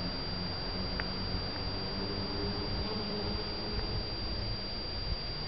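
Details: Honey bees pollinating white and yellow Shasta daisy flowers in a garden in spring or summer; a low, steady droning hum with faint higher overtones, partly buried in constant broadband background hiss.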